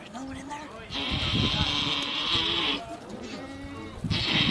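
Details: Bleating during a Boer goat's delivery of her kids, little assisted by people: a long, strained, nasal cry held for about two seconds, then a second shorter one, with quiet human voices around it.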